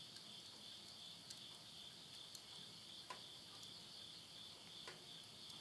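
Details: At midnight in the Japanese countryside of Tottori, end of summer 2020, insects keep up an even high ringing trill while burning wood in a house stove gives occasional sharp crackles.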